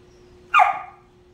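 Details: Female Whippet barking because another dog occupies the bed she wants; a single sharp, high bark, brief and abrupt, followed by quiet indoor hum.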